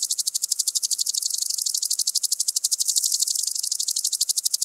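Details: Common green grasshopper (Omocestus viridulus) singing in Tschenn, Italy, 19 August 2019. A strong, even, high ticking buzz of fast pulses, about three per second, continuing without a break and gently rising and falling in loudness.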